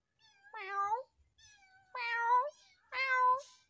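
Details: Frightened stray kitten giving three drawn-out, tonal meows about a second apart, each rising slightly then falling, with faint low thumps between calls in a quiet indoor setting.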